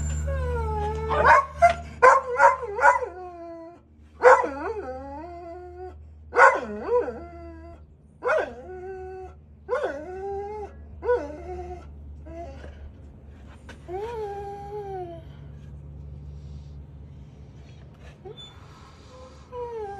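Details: Gustl, a Deutsch Drahthaar puppy in his third week of bench training with very little talking, gives a quick run of high yelps, then drawn-out whines that slide down in pitch and fade away toward the end.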